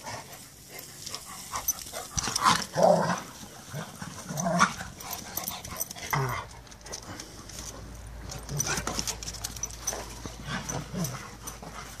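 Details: Two Rottweilers playing a chase game give short, rough bursts of growly barking and yelping.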